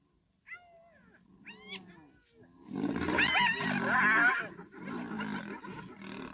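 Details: Hyenas refusing to share a zebra kill with lions: two rising, harmonic whooping calls, then a loud, harsh chorus of growls, squeals and rough roaring.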